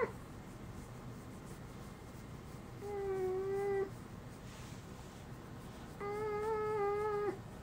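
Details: Uni the dog, unable to bark like a dog since small, produces a human-sounding voice: two level, sung-like tones about three seconds apart, each lasting about a second, in a quiet indoor room.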